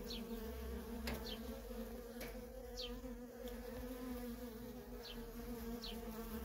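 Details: Busy worker honey bees at a feral colony produce a continuous bright hum with two clear tones. A couple of sharp clicks and several short high descending chirps break through.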